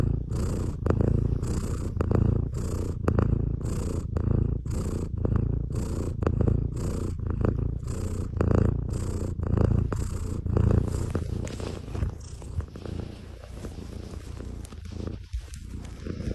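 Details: Loud, deep cat snoring: rasping breaths cycling about once a second for over ten seconds, rough and rumbling, softening slightly toward the end.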